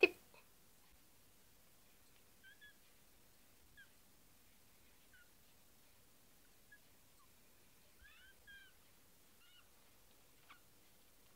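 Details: Kittens with their eyes newly open, one called Nokitassu, give faint, short, high chirping mews. The mews are scattered across a quiet indoor room and come in quick pairs around the middle and again near the end.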